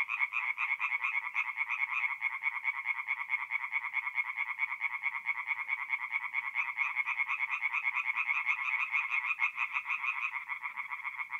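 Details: Several tree frogs calling together from a forest pond by night in mid-April, north-east Italy, their quick repeated nasal croaks merging into a thick, even, throbbing chorus with no other sounds.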